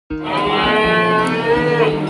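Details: Cattle lowing at a cattle market in light drizzling rain: one long, steady, resonant moo with rich stacked harmonics, lasting about two seconds, slightly wavering near the end.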